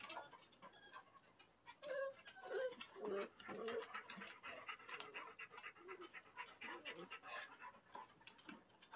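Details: Young male Standard Poodle puppies, freshly bathed and outside for the first time, let out a cluster of thin rising whines and squeaks in the middle of the clip, with a person speaking and handling noises around them.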